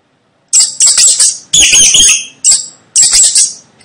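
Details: Rat giving shrill, scratchy squeaks in five quick bursts, each a ragged high chirp with a harsh buzzing edge, separated by brief gaps, with silence at the start.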